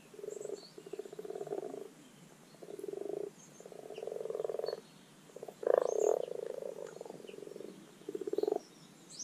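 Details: Rana temporaria calling at a garden wildlife pond in spring spawning time: a near-continuous series of low, throaty purring croaks, each burst lasting around a second, faint birdsong behind.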